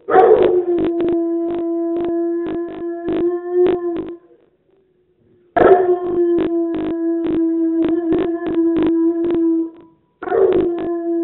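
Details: Athena, a pet dog, gives a feeble howl: three drawn-out, steady, mid-pitched tones with harsh, rough onsets, each lasting several seconds and separated by brief silences.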